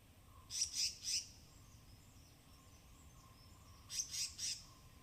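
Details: Forest squirrels in rain-soaked Tamhini evergreen forest, Western Ghats, recorded binaurally while foraging: two brief clusters of three sharp, high, noisy chips, spaced several seconds apart, against a quiet humming background.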